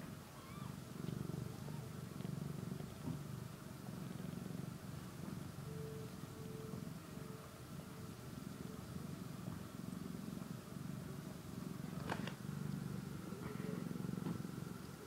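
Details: Continuous deep purring from a kitten as it eats and sleeps, an even low rumble broken by soft breath gaps, with a faint steady tone for a few seconds and a sharp click near the end.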